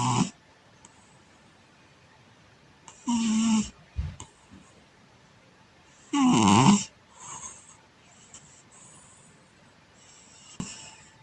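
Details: Cat sleeping on its back and snoring: loud, raspy snore bursts about every three seconds, some with a low humming tone, with softer breathy sounds between them in a quiet room.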